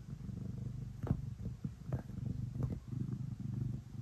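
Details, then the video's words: Ace the cat purrs and kneads before bedtime, a deep rhythmic rumble rising and falling with each breath, punctuated by small scratchy clicks of paws working. "Cat kneading and purring before bedtime"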